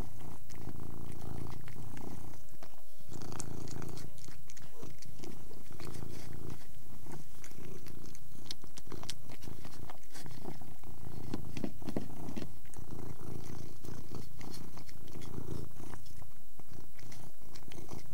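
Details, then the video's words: Purring Persian cat eating; continuous deep throbbing purr runs throughout, broken by crisp mouth clicks, licking and chewing noises at irregular intervals, with a few short pauses in the rumble. "Persian Cat Eating & Purring"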